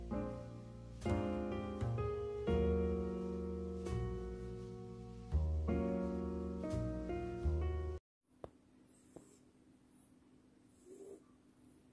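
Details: Gentle piano music plays for about eight seconds, then stops abruptly, leaving a quiet room with low hum and a few faint clicks.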